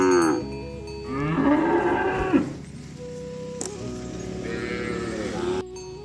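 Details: Oxen on the way to the farm barn give two drawn-out moos: a louder, wavering one followed by a softer, higher second call, both over running background music.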